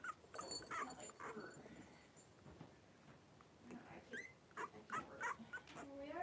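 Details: A litter of five blenheim Cavalier King Charles Spaniels, three weeks old, play-fighting indoors in their pen. Rapid high yips and thin, rising squeals come in quick bursts, some arching up and down, with soft thumps and rustling between.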